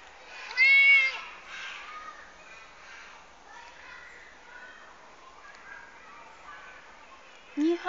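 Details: Domestic cat in a garden, spooked when the person filming trips over garden debris, gives one short, loud meow that rises and then falls early on. Human speech follows, with muffled handling noise and a brief loud burst at the end.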